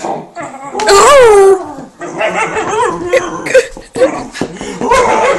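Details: Whippet in a compilation of funny dog moments, giving loud, wavering whines that rise and fall in pitch, a long drawn-out cry followed by shorter yelping whimpers, with a person talking over it.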